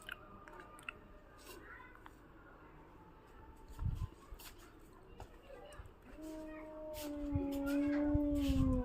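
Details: ['A cat scared by another cat. After several seconds of quiet room noise with a few thumps, it gives one long, steady, slightly falling moan that grows louder toward the end.']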